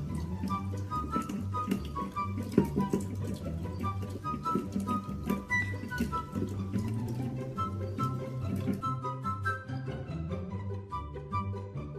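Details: Instrumental music with a steady bass line and high flute-like melody plays throughout, with no animal voice heard.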